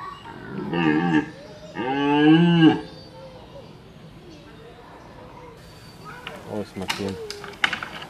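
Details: Rutting deer in a large enclosure at a wildlife park in Altenfelden: two loud, drawn-out groaning bellows rich in harmonics, the second longer and rising then falling, followed by a quieter stretch with faint background noise and a few short, sharp sounds.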